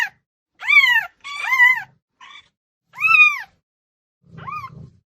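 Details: Loud domestic cat meowing: four arched, harmonic meows rising then falling in pitch, spaced about a second apart, the last one softer, with faint low thumps between calls.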